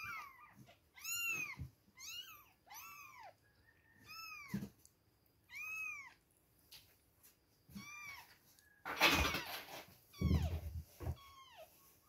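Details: Baby kittens two weeks old crying at milk time: a run of short arched mews, some overlapping, followed by a burst of rustling and handling noise near the end.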